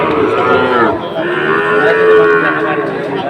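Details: Sahiwal bull calf at a cattle market in Cumilla, Bangladesh, 17 August 2024; one loud, drawn-out moo that climbs then holds and slowly falls over about three seconds, with market chatter behind.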